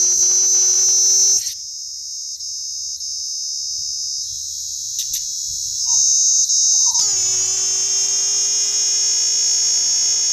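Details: A Sri Lankan cicada produces an intense, continuous, high-pitched, harsh buzzy drone that stops abruptly for several seconds, leaving only faint background sound, then resumes just as loudly.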